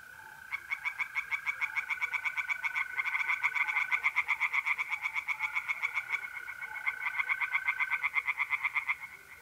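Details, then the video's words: Night in mid-April at a pond in north-east Italy: several tree frogs overlap in rapid, rasping pulsed croaks, rising and falling in loudness, with mole crickets trilling steadily throughout. "relaxing singing tree frogs in pond and trilling mole crickets by night"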